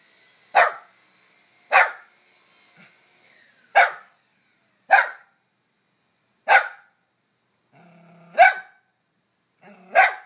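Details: Three-year-old miniature poodle, driven by prey drive, barking persistently at a lizard under a rock; seven sharp, evenly loud barks spaced one to two seconds apart, with a faint low growl near the end.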